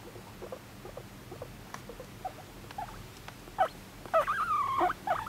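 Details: Pet guinea pig Moru-chan, adopted in May 2019 at eighteen months, calling affectionately for attention: after quiet shuffling, a few short chirps and then a rising and falling whistled squeal near the end.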